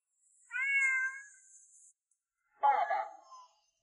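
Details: Pet cat at home greeting its owner, who has returned after a week away, and demanding to go out to play: a clear, drawn-out harmonic meow, then after a pause a second, shorter and rougher meow, in a quiet room.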